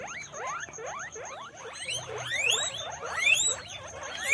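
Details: Many guinea pigs on a guinea pig farm squeak in quick, overlapping rising notes, many voices chirping at once.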